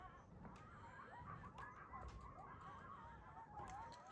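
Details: A pack of coyotes on the move through a neighborhood in the morning gives faint, distant, overlapping wavering howls and yips that slide up and down over a steady low rumble.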